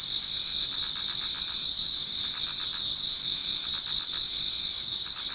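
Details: Autumn insects chorus in a Japanese garden as dawn approaches, a continuous shrill ringing with rhythmic pulses about four per second over a constant high buzz.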